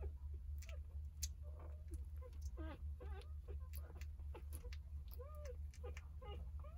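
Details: Nine newborn Jindo puppies, three days old, squeal under their nursing mother Sarang indoors; thin arched whines and sharp squeaks overlap in a restless chorus, some rising then falling, with a low steady hum beneath.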